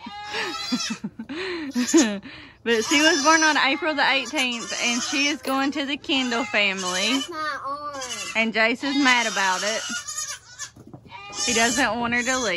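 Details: Many baby goats of the 2022 kidding season bleat at once, a dense chorus of quavering, wobbling calls, high and low, with a person's voice in the background.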